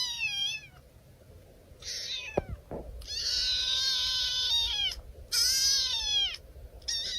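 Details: Talkative orange house cat answering its owner indoors: a series of long, high, wailing meows with bright harmonics, some falling at the end, separated by short pauses, with a couple of faint clicks.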